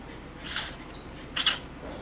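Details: A cat sneezing hard and repeatedly, nose running. Two separate explosive, hissy bursts are heard about a second apart, the second sharper and louder, over quiet background.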